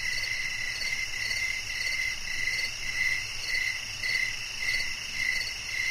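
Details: Crickets chirping in a nature recording for sleep and relaxation: a steady, high, pulsing trill repeated in quick regular bursts, with a faint low hum underneath and no other clear sounds.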